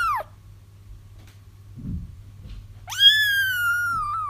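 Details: Kittens crying to lure a feral mom cat into a trap: a mew ends at the start, a brief soft rustle follows, then a long, loud, drawn-out wail that rises and holds before easing down, over a low hum.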